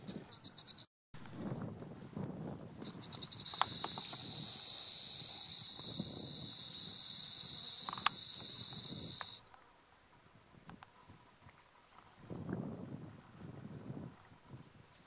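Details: Rattle of a red diamond rattlesnake (Crotalus ruber ruber): a continuous high buzzing hiss lasting about six seconds, then it cuts off. Low rustling and soft handling noises come before and after.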